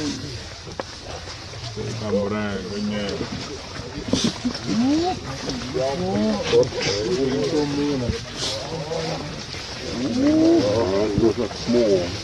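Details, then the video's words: Screaming baby monkey gives repeated wavering, arched harmonic cries in close succession, some sliding upward, over faint background noise. "My Baby is So Cry, Screaming Sound Monkey Baby"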